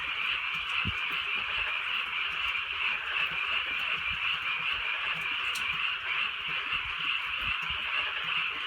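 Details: A countryside frog chorus at night during light rain: many overlapping quick croaks forming a continuous shimmering drone, a few low thumps, and a faint hiss of drizzle beneath.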